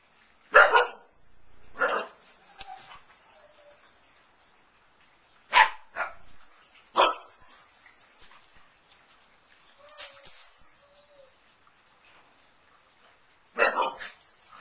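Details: Young Siberian Huskies recorded in February 2011 give scattered, irregular yips and barks, single or in quick pairs, every few seconds, with soft whimpers and quiet gaps in between.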